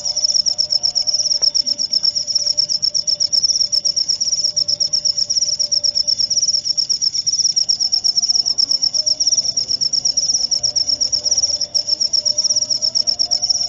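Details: Cricket chirping for insomnia therapy and to repel rats: a continuous high, shrill trill of rapid pulses held steady at one pitch throughout, with a faint low hum underneath.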